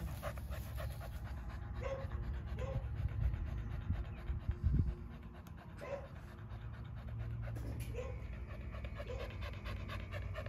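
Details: Several dogs gathered at a fence, panting in a soft, rapid, breathy rhythm over a low rumbling background, with faint occasional murmurs of voices.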